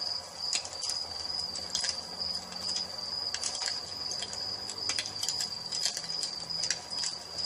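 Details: Crickets at dusk beside a crackling fireplace: a steady high-pitched trill runs throughout, with irregular bright crackles and pops from the fire over a soft low rumble.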